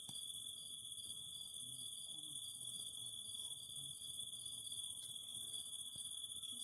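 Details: A steady chorus of cicadas by a fire: an unchanging high buzzing drone and a constant lower tone, with intermittent stuttering trill phrases and faint low warbling sounds underneath.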